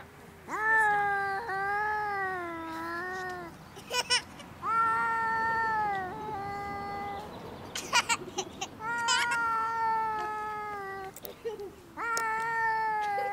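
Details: Pet cat, described as able to sing, recorded in June: long, steady, tonal meows, each held two to three seconds, about five in a row, with short clicking or tapping noises between them.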